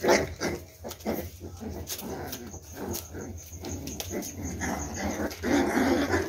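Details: Boxer and pit bull cross puppies, 28 days old, playing on the floor with a person. Short puppy growls and whimpers come in quick, irregular bursts, mixed with handling noises and a man's voice.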